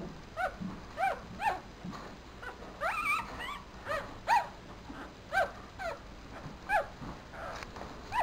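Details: Four-day-old Papillon puppy in a black dress shoe: thin high squeaky whimpers, short arched cries repeated roughly every half second to second, with some faint rustling.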